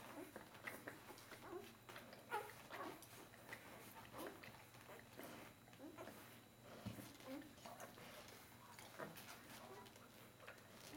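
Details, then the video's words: Four-day-old Bernese Mountain Dog puppies jostling while nursing, giving scattered high squeaks and small whimpers over constant shuffling and suckling, with faint human speech in the background. "Berner Sennenhund Welpen 4 Tage alt"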